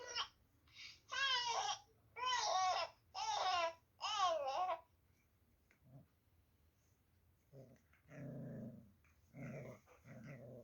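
A puppy gives a run of high, wavering yappy barks, each about half a second long.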